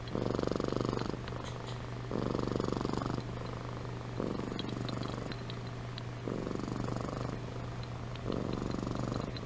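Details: Amy, a pet cat, purring while asleep: steady low rumbling bursts about a second long, separated by short quieter gaps, with a constant low hum underneath.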